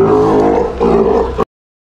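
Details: Steller sea lion pup, a nearly one-year-old female at an aquarium in Japan, during no-biting training while staff touch her; a single drawn-out, harmonic, roaring moan lasting about one and a half seconds, steady then cut off abruptly.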